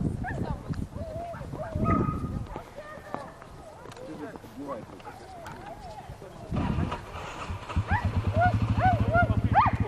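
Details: Whippet named Volk during circular track training at Novy Milet, 30 October 2016: high, arching yelps and whines in quick bursts, clustered near the end over a steady mechanical pulsing hum, with human voices talking throughout.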